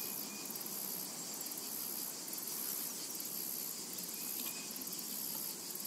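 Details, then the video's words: Cicadas in a summer meadow produce a constant, high, metallic buzzing wash that pulses faintly, with hardly any other sounds besides one or two thin distant bird notes. "Summertime and Cicada Ambience"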